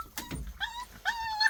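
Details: A black Jindo puppy, still with its mother and littermates, gives short, high-pitched yelping barks that rise and stretch into whiny notes, before dawn around 4:48 on a cold January 23 in winter.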